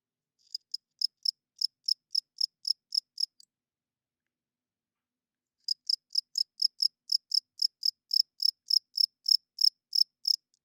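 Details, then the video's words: Male crickets chirping loudly at night by rubbing their wings, a call that draws females and marks territory. High, crisp pulses come in a quick even series of about eleven, break for two seconds, then resume in a longer run. "40 Minutes of Cricket Chirping Sounds - Cricket klinkt 's nachts luid"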